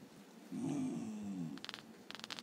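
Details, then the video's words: Male Basenji dog grumbling after being deliberately woken from sleep, a habit described as 'wakes up bad' and common in the breed; one low, wavering, moaning grumble lasting about a second, followed by a few faint clicks or rustles. "Basenji grumbles."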